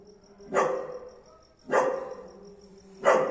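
A German Shepherd gives three loud, broad barks about a second apart over a steady faint hum.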